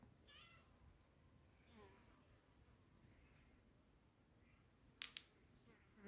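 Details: Kittens following a person give two short meows: one harmonic call just after the start, then a falling one near two seconds. Quiet follows, with sharp clicks close to the end.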